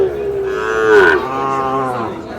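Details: Sahiwal bull calf mooing at Dinajpur's Ambari market on 11 May during early trading: one long, steady, harmonic call that bends downward midway and then trails off, with quiet market voices underneath.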